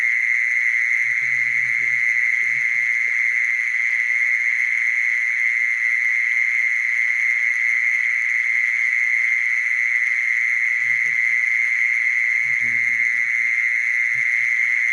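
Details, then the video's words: Mole cricket calling with an unbroken, steady high buzzing trill that holds one pitch for the full stretch, with faint low rumbles around the second and twelfth seconds in the background. "Mole cricket sound, Original sound"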